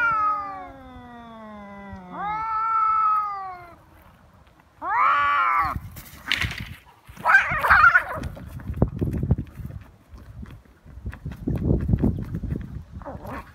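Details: Feral cats fighting outdoors on February 22, Japan's Cat Day, threat calls escalating to biting and cat punches: long drawn, wavering harmonic yowls, a sharper rising wail, then hissing spits and scuffling bursts of a scrap.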